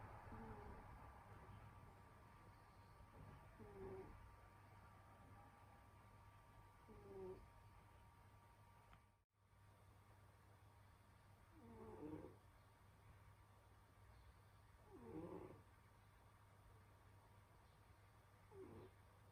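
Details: Senyora Betsy, a pet cat, sleeping indoors in winter and snoring again; soft, husky breaths rise and fade roughly every three to four seconds over a steady low hum, with one brief dropout midway.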